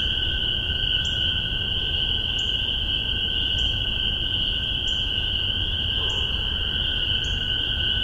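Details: Chorus of spring peepers in Massachusetts, spring 2015, captured on a Tascam DR-40 with paired MXL 603 omni microphones. Continuous shrill trilling wall of peeps, overlaid by short faint high chirps repeating roughly every second.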